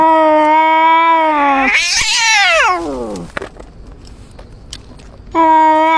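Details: An injured cat gives a steady, level moaning yowl that breaks into a sharp, rising-then-falling screech. A brief pause follows before the flat, sustained howl resumes.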